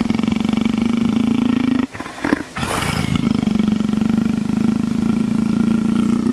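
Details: Leopard purring, a deep rumbling throb likened to a motorcycle, pulsing steadily for several seconds, breaking off briefly near the two-second mark with a short scuffing noise, then resuming just as steadily.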